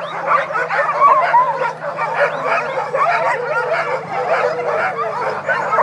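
Many sled dogs howl at once, their voices sliding up and down and overlapping into a continuous, wavering chorus. Sharper yips and whines break through the steady mass of howling, over a faint low hum.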